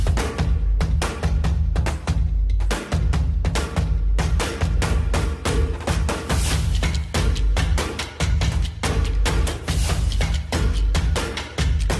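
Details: Loud percussive music with pounding drums and booming bass throughout, no animal sound heard.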